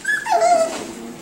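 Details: Miniature Schnauzer puppies of five and seven weeks, exploring; a short high yip falls into a sliding, descending whimper that trails off softly, room sounds behind.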